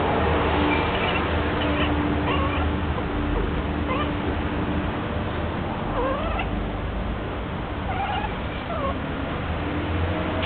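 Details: Domestic cat named Minnie in her first heat, giving several wavering, drawn-out yowls at irregular intervals over a steady low hum and broad background noise.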